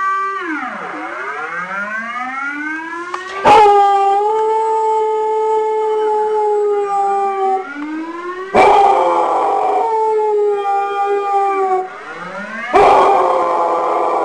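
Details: Dog howling in imitation of a siren alarm: long drawn, wavering tones that sweep down and back up, then hold steady, broken by three sharp loud bursts roughly every four to five seconds.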